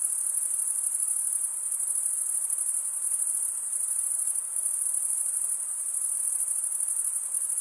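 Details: Male crickets chirp by running one wing over the comb-like teeth of the other, giving an unbroken high-pitched ringing trill with a fine rapid pulse, steady in volume apart from small dips, with nothing else audible.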